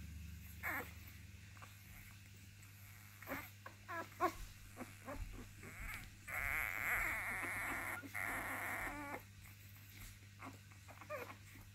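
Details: Basenji litter pups making scattered short squeaks that build into two long, wavering, high-pitched cries near the middle, then more brief yelps, with a low background hum.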